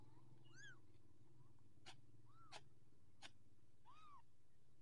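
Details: Persian kittens, orange Persian litter, growing up: high arched meows, three calls spread over five seconds, between sharp clicks and a steady low hum, with quiet voices nearby.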